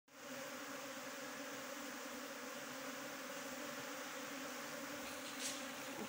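Asian honey bees give a steady, dense hum of many wings, holding an even pitch throughout.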